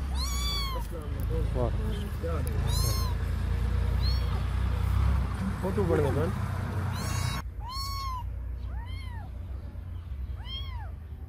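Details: Cats and kittens meowing: scattered arched meows, some bright and close, others softer, mixed with loud rumbling background noise and voices.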